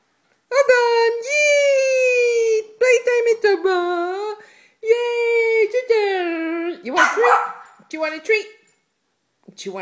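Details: Dogs at play during a morning routine: an 11-year-old Mini Schnauzer, a 9-year-old Basset and a 2-year-old Yorkie. Long drawn-out whining, howl-like notes with a few shorter yips, broken by brief pauses, before a treat run.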